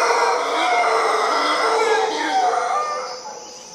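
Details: Howler monkeys filling a tree in Costa Rica: a thick, roaring, overlapping chorus of deep, rasping howls holds steady, then fades over the last second.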